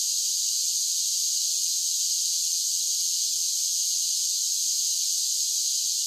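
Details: Cicadas singing on a summer day produce a dense, level, shrill buzzing that never breaks, with no other animals or noises.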